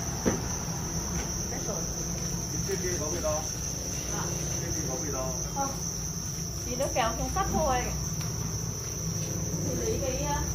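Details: Farmed Thai crickets calling together: a continuous, piercing high trill runs unbroken throughout, with short clicking chirp bursts and faint voices scattered over a steady low hum.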